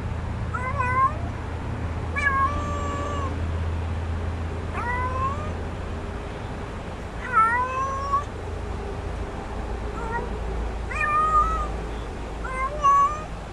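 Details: Stray kitten found in a back yard, offered food, giving six clear meows spaced about two seconds apart, each a harmonic cry starting high and settling into a held tone near its end, over a steady low rumble of background noise.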